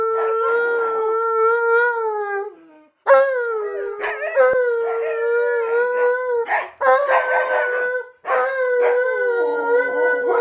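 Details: House dogs howl in chorus as their owner sings "You Are My Sunshine"; long, even howls with sliding onsets, interrupted by pauses, with the owner's voice and overlapping canine voices audible.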